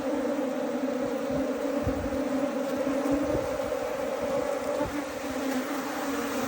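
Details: Colony of Asian honey bees rescued from a canal and moved into a box: a dense, constant drone with a strong low hum and a higher overtone band, steady from start to finish.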